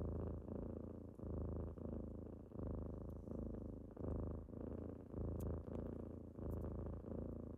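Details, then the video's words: Typical morning wake-up by kittens: a strong steady purr pulsing with each breath roughly every 1.3 seconds, low and buzzy, with faint ticks in the background. "Morning with kittens^^"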